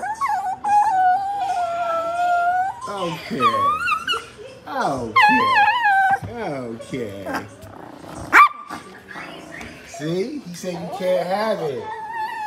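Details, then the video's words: Dog crying in rapid, varied whines and yelping, wavering cries that rise and fall, tangled with a person talking, with one sharp knock partway through. "Never seen a dog crying before"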